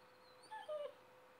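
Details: Basset Hound indoors at 5 AM giving a brief high whimper: two short thin whining notes, the second slightly longer and falling, against a quiet steady hum.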